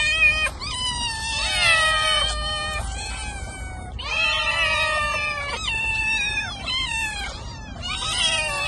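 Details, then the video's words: A domestic cat gives a run of loud, drawn-out meows, each bending up then sliding down, with brief pauses between calls and a faint low rumble beneath. "Gerçek Kedi Sesi"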